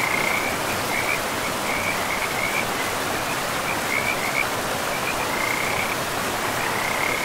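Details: Forest river scene with frogs: scattered high, rasping trills come in short bursts every second or so, a little fainter, over a dominant wash of flowing water.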